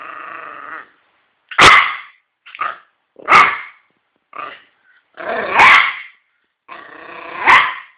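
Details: A toy Yorkshire Terrier (Canis familiaris) named Nemo gives sharp, high barks broken by short, rough growls, each burst separated by brief pauses.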